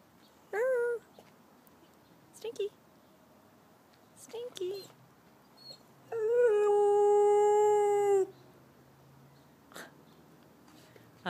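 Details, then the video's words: Chow-Golden Retriever mix rescue dog howling during a conversation with its owner: several short rising yelps and whines spaced a couple of seconds apart, then one long steady howl of about two seconds, with the owner's speech and music around it. "My Dog Speaks Howl-ese"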